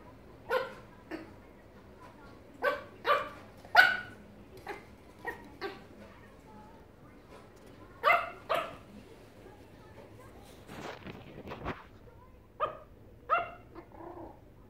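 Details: Small Yorkshire terrier playing with a rubber pig, giving short sharp yaps in irregular bursts of two or three, with squeaky rustling play noises between them.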